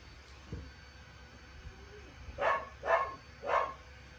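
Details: Lucille, a seven-week-old puppy, lets out three quick high barks in a row, evenly spaced about half a second apart, after a quiet indoor stretch.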